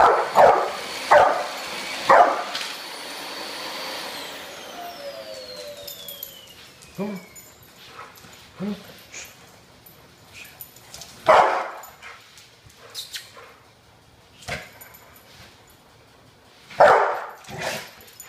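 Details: Bullet, a two- to three-year-old brindle Pit Bull, lets out a quick cluster of three barks, then falls quieter with scattered single barks and softer noises, plus a falling whistling tone midway.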